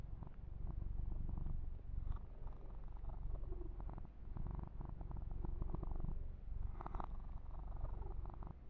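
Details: Yumak, a young male kitten being massaged, purrs continuously in a deep, fluttering rumble of roughly four beats a second, overlaid with short rustles of fur grooming and hand strokes.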